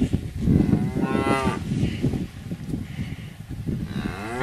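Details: Cow mooing: low, rough lowing with a brief harmonic rise near the start and a second moo rising toward the end, over a steady murmuring background.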